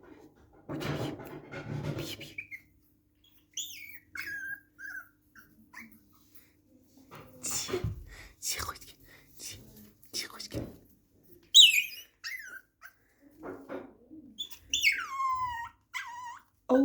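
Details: Poodle indoors giving high whines and squeaky whimpers that sweep downward in pitch, short bursts clustered near the end between quiet gaps, with breathing, handling noise and a few spoken words.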